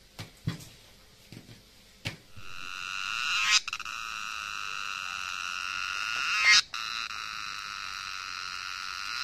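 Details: Cicadas singing in the Himalayas of Nepal: after two seconds of scattered taps, a steady, buzzy, ringing drone starts, swells to a loud peak, cuts off briefly, then resumes about three seconds later.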